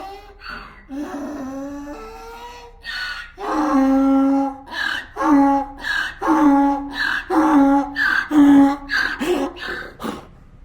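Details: A donkey brays in a loud, rhythmic hee-haw, wheezy gasps alternating with harsh, honking notes.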